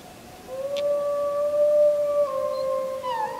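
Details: Wolf howling under the full moon on 31 July 2015, filmed with a JVC Everio GZ EX215 camcorder: one long, steady, low howl held at an even pitch for about three seconds, then sliding down slightly at the end.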